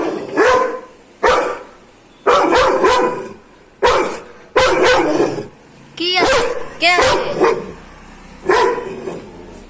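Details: Aggressive Doberman barking in loud, harsh bursts, single and double barks spaced about a second apart, with a rapid rippling sound around six seconds; a voice may be faintly present.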